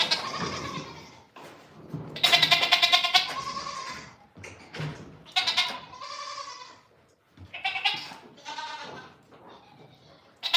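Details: Goats on a farm on a morning: a run of loud, quavering bleats at differing pitches, some long and shaky, others short, with gaps of knocking and rustle between them.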